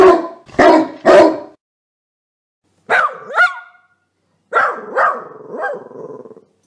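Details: Dog barking three times in quick succession, then pausing before two rising, whiny yelps and a final cluster of wavering whimpering barks.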